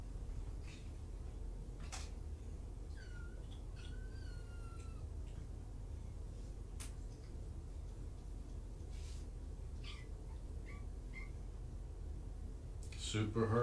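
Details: Rescue kittens, five from two litters surrendered in Tacoma and housed at Purrfect Pals, on an afternoon in July 2017. Several thin, high meows with a drawn-out falling note midway, over a steady low room hum, with clicks and a louder thump at the end.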